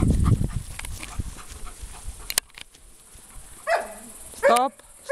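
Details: A 4-year-old Alaskan Malamute gives two brief wavering, falling yowls after a stretch of low rumbling noise.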